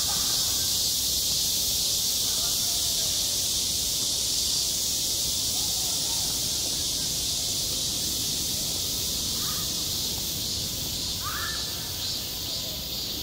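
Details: Cicadas singing in midsummer at a school playground, a steady, dense hissing buzz that holds without a break for the whole stretch, with a few faint short rising chirps underneath.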